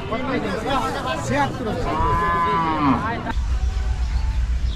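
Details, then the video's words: Cows lowing while being unloaded in a village: a drawn-out, arching moo with rich harmonics sounds in the middle, among men's voices and shouting, then low rumbling noise at the end. "cow unloading, cow videos, cow video, big cow, goru hamba cow"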